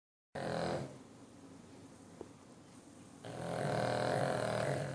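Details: A 9-year-old Cavalier King Charles Spaniel snores loudly, a rough rasping breath rising and falling.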